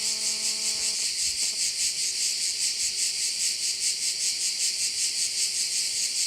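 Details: Insect chorus of crickets over a bay on Korčula, Croatia: a steady, bright, high-pitched buzz beating in even pulses roughly every 0.4 seconds, with a brief humming tonal sound during the first second.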